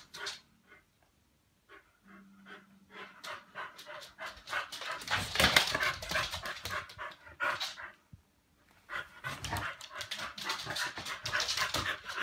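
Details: A Chow Chow pants in rapid, breathy bursts at midnight, broken by short snorts and scuffling noises.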